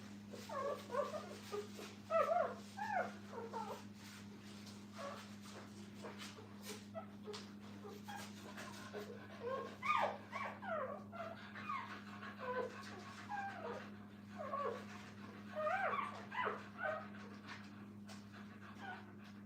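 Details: A litter of puppies with their mother at a kennel keeps up a busy chorus of faint overlapping whimpers, yips and short squeaks, coming in uneven bursts over a low steady hum.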